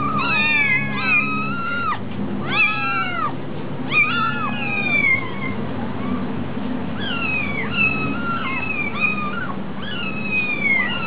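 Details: A hungry kitten at a cat cafe meows over and over. The cries are high, wavering and drawn out, with several overlapping calls every second or so. A steady low hum runs underneath.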